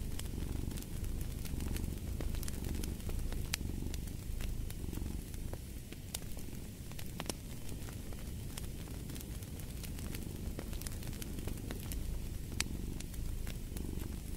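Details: Relaxed cat purrs steadily next to a crackling fire; the deep vibrating hum pulses in gentle waves every second or two while wood pops and clicks above it.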